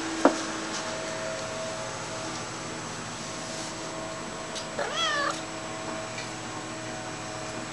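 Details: Domestic cat following its owner indoors gives one rising-then-falling meow about halfway through, over a steady low mechanical hum with a sharp click near the start.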